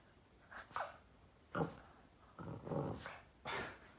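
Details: Boston terrier indoors, playing with its owner's foot, making funny noises and barking: short, harsh, growly bursts about once a second, some doubled, in a small room with a person's voice nearby.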